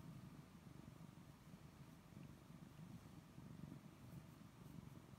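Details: Pet cat purring as it is stroked, a deep, even rumble that keeps going without a break, its soft throbbing pulses running evenly throughout, with only faint background hiss.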